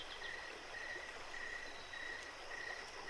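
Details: Night-time cricket chirps at Jacobs Creek, with brief clear pulses coming in a loose, even rhythm above the continuous sound of flowing creek water.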